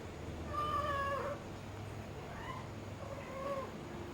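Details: Persian cat, a mother with her kitten, gives a long drawn-out meow that falls at its end, then two shorter, softer meows about a second apart, over a steady low hum.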